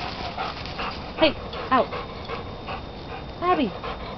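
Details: Puppies playing fetch let out three high, falling, whiny yelps spaced over a few seconds. A person calls to them between the yelps over a constant hiss.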